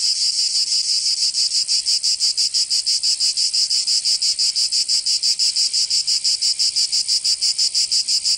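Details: Provençal summer cicadas in southern France: a strong, shrill buzzing with very regular rhythmic throbs, around three per second, sustained evenly throughout, nothing else audible.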